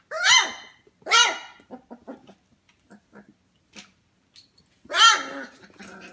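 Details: Young F1 Goldendoodle litter, 25 days old, at home at 11 pm: three loud, bright arched yelps, at the start, a second later, and near the end, with soft clicks and small squeaks between them.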